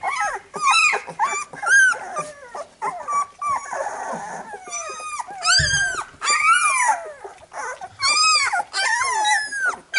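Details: Labrador Retriever puppies squealing as their mother cleans them after nursing: dense, high, wavering squeals and whines, rising then falling, overlapping in quick succession with short gaps and a soft thump near the middle.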